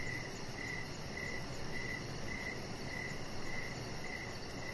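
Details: Outdoor evening chorus of crickets by a deck where a chihuahua puppy named Rocket lies: about nine regular chirps, each short and bright, spaced roughly 0.6 seconds apart, with a fine high-frequency pulsing and a soft low rumble throughout.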